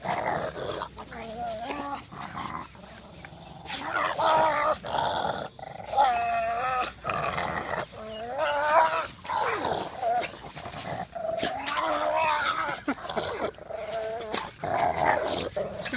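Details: Pug making weird noises while playing with a boxer: rough, wavering growl-like vocalisations in repeated bursts of one to two seconds, with scuffling and thumps of play throughout.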